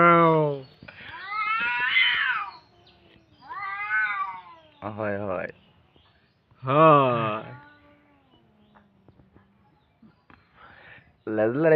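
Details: Two cats squaring off; loud, drawn-out wailing caterwauls, rising and falling, repeated several times with quiet low growls between, and a person speaking briefly.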